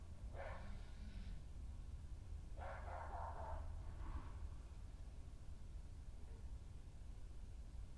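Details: Scuffle between badgers on 20 May 2018: dominant female Hattie defends her patch against a newcomer; two or three rough, noisy yelping bursts, a brief low growl, then quieter low rumble.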